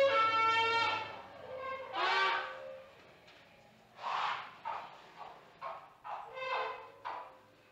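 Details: An African elephant in Zimbabwe gives a brassy trumpet, then a series of rough, broken roars.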